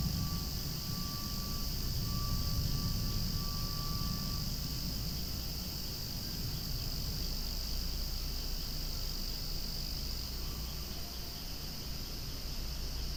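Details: Noisy cicadas sing beside swaying flowers in a relentless high, sizzling drone; a deeper rumble, as from a passing aircraft, swells early and fades away.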